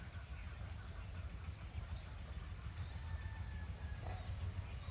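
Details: Steady low rumbling with a faint rhythmic clatter, like a passing train or vehicle, and no animal voice.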